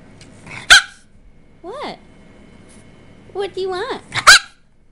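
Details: Mackie, a male Boston Terrier, begs indoors for macaroni and cheese, yowling in short, rising-then-falling, moaning tones that come in brief bursts. A person keeps asking what he wants, and sharp clicks sound between his calls.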